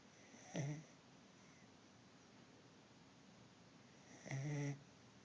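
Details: A corgi, exhausted after a weekend of hiking and being out in the sun, snores in two low, rasping breaths a few seconds apart.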